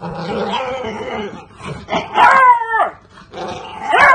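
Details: Beagle puppy letting out wailing, falling cries, a muffled murmur first, then a long bending howl in the middle and a rising yelp at the end.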